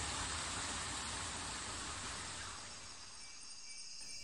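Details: Steady broadband rushing noise like distant traffic or falling water, with no animal calls. The hiss fades slightly toward the end.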